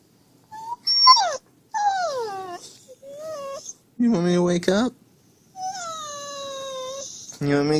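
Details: Husky whining to rouse its sleeping owner: a run of rising and falling whimpers and yowly whines, some gravelly and drawn out, with the owner's voice between them indoors.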